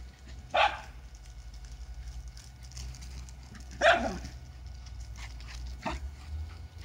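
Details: Lakeland terriers Holly and Ville playing on a hot summer day; two loud, short barks roughly three seconds apart, then a fainter yelp-like bark near the end amid scuffling.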